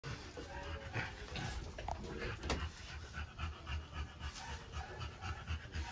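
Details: A female French Bulldog pants in quick, uneven bursts of breath during trans-cervical insemination with a scope, the soft rhythmic huffs repeating steadily over a low background hum.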